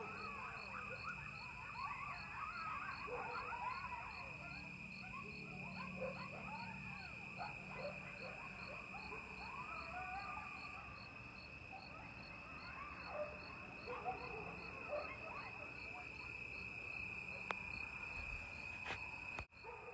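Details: A chorus of wild coyotes at Lake Mendocino, late at night on October 15–16, 2022, recorded from a porch above the lake. Many overlapping yips, barks and rising-falling howls continue throughout, over a steady high-pitched whine.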